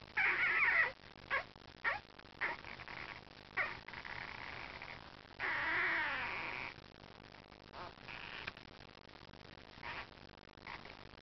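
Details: Four sleeping Cardigan Welsh Corgi puppies born July 3rd, 2009, giving soft, faint squeaks and whimpers in short scattered bursts, with one longer wavering whine in the middle.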